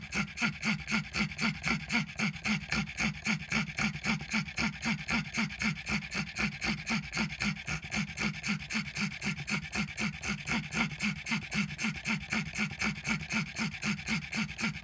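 A pug wheezes steadily, each raspy breath repeating about four times a second.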